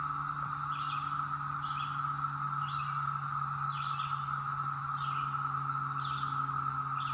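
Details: Brood X periodical cicadas, emerged after 17 years underground, North Georgia mountains, 2021: a steady, even droning chorus, with short bright chirps from another caller repeating about every second and a low constant hum beneath.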